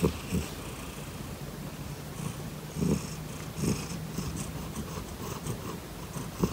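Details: Domestic cat purring while kicking at the same time, described as purring like a tiger: a low, rough, throaty rumble that swells in soft pulses with each breath, with faint rustling and scratching noises above.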